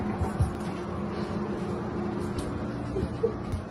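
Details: A steady engine rumble with faint voices and background music, and no meow or other animal call.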